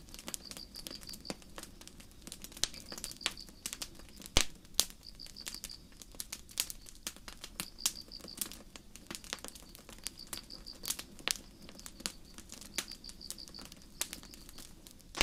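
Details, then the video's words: A starry night in the forest where crickets repeat short trains of fast, high-pitched chirp pulses at regular intervals, all against steady campfire crackling with occasional loud sharp pops. "Campfire & Crickets"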